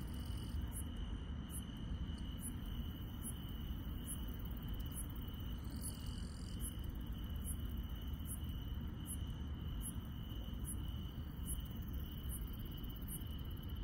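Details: Night insects in the countryside keep up a continuous high, even trill, while sharper, very high chirps tick at a regular pace about every half second over a steady low background hum.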